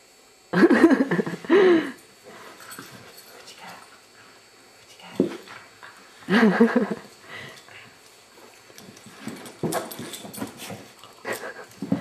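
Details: Foster beagle Abigail lets out loud, wavering whines in two bursts, each about a second and a half long, separated by quieter snuffles and soft whimpers, with sharper noisy yelps near the end.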